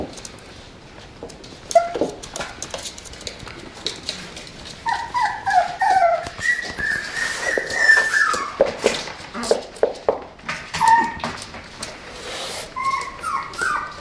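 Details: Tibetan Terrier whining while inviting play: short, high, tonal whimpers rise and fall in quick clusters, with scattered clicks and rustling in between.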